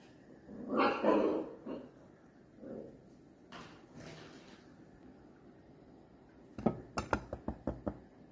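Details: Dachshund puppies at play give a loud, rough bark that lasts about a second. A couple of softer yips follow, and near the end comes a quick run of sharp clicking or tapping sounds.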